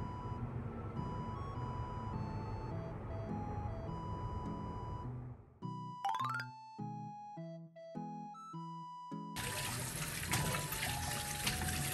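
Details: Gentle tinkling background music over soft room noise, with a brief glissando and no animal voices.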